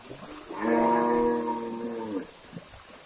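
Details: Cattle in a herd crossing a river while being moved to a new grazing spot near an oil palm plantation; one long, steady, harmonic moo lasting about a second and a half, with faint rustling and background noise afterward.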